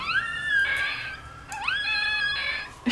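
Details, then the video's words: Three-week-old female Chihuahua puppy from a litter, woken from a nap, howling indoors in response to a distant ambulance siren: high, sustained tonal wails with rising glides, then a brief pause and another rising howl. "Chihuahua puppy howling at 3 weeks"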